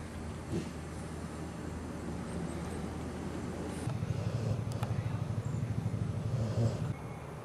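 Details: Mia, a pit bull (American Staffordshire Terrier) mother, growls at her four-week-old puppies while eating a treat, showing food aggression. A low, pulsing rumble builds about halfway through and holds for several seconds. A few faint clicks and rustles sound earlier.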